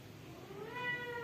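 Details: Newborn kitten in a family home with one short rising meow that swells and holds steady, rich in harmonics, against a quiet background.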